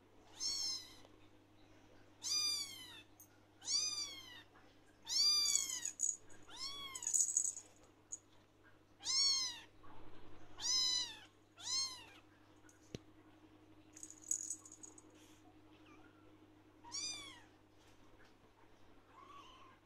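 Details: Attention-seeking blue lynx Ragdoll kitten, male, who 'shouts' whenever he sees his owner; a long run of about a dozen loud, arched meows roughly every one to two seconds, indoors with a faint hum.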